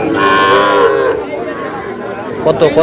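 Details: Young bull and heifer calves at a cattle market in Dhaka, Bangladesh, 4 February 2026; one moo in the opening second, then quieter crowd murmur and a man's voice.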